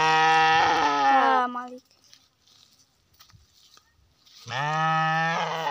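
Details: Garut sheep, a breed shown in kondang, white and black coats, giving two loud, hoarse, harmonic-rich bleats. The first lasts almost two seconds with a slight wavering drop at the end. After a quiet gap, a second steady bleat follows.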